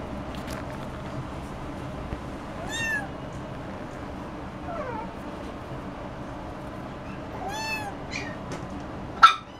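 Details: Russian Blue cat, likely a kitten offered by a Japanese pet shop, giving several short curved meows, some with rising then falling pitch, spaced a few seconds apart over a steady indoor hum, ending in a sharp knock.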